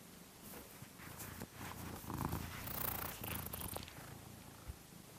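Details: Domestic cat snoring while asleep, recorded secretly indoors, sped up five times so it sounds like farting; a rapid, rough low rumbling pulse, about four beats a second, with brief rustles and clicks over it.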